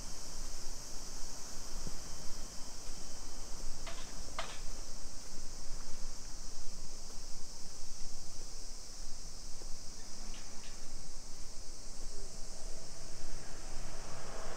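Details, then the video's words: Cicadas singing in summer along suburban streets of Nisshin city near Nagoya, Japan, 2 PM, 28 July 2021: a constant high whining drone runs throughout, with a few sharp clicks and knocks and low ambient rumble. "Summer Cicadas Sounds"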